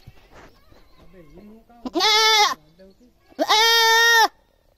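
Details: Loud goat screams, two harsh, wavering bleats under a second each, preceded by softer lower bleating sounds.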